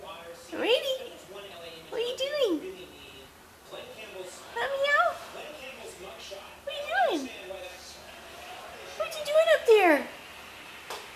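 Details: Red Devon Rex cat up on a bookcase indoors, talking in a series of short meows and chirrups that sweep upward then drop, several spread across the moment. A woman keeps speaking to it throughout in a small room.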